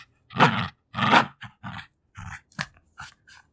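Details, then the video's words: Jack Russell Terrier, a two-year-old female, playing rough over her toys: two strong raspy growls followed by softer grunts, sniffs and licking noises. "Dog Growling like a Gremlins"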